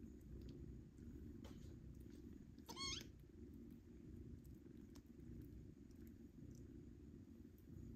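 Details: Domestic cat family at weaning time, kittens jostling to nurse from their mother; a continuous low purr runs throughout, broken near the middle by one short high meow that rises and then falls.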